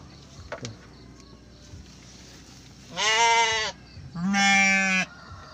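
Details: Garut sheep ewe in a pen during labour with triplets, just after her waters broke: two loud, harmonic bleats under a second each, the second slightly longer and wavering, with faint rustling before them.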